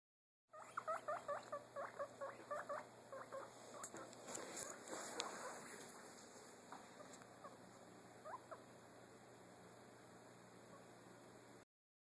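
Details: A pet guinea pig having fun on a bed gives a quick run of short, bright squeaks, followed by soft rustling.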